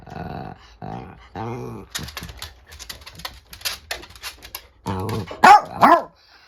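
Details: Angry female dogs, an old miniature dachshund against an adult chiweenie (dachshund–chihuahua mix). Low harmonic growls open the clip, then a run of rapid snappy barks follows, ending in two loud, high, strained yelping barks.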